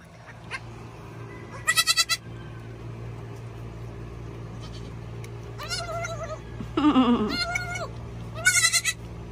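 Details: Baby Nigerian Dwarf goat bleating while chewing food, giving warbled, wavering cries in several short bursts with pauses between them, alongside crunchy chewing noises and faint background music.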